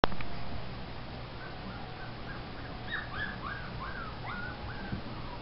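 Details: Male Wheaten Terrier puppy in training gives a run of high, arched whines, about eight in a row, each rising then falling, after a brief initial noise; a steady low hum runs underneath and a command to sit follows.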